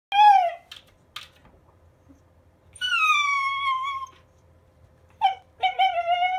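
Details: Schnauzer indoors giving strange vocal sounds when the humidifier is switched on: drawn-out tonal whines and moans, some gently falling, in three bursts with short sharp yelps between, plus a faint steady hum in the background.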